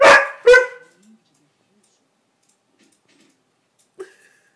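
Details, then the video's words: Indoor Siberian Husky protesting at being kept off the bed: two sharp, loud bark-like yelps in quick succession at the start, silence, then one brief softer vocal sound. "Siberian Husky Talking"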